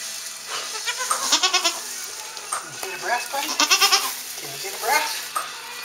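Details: Saanen/Alpine kid goats freshly born on a small hobby farm, May 2012: a string of shaky, vibrato bleats in three bursts, rising and falling in pitch, over a constant faint background hiss.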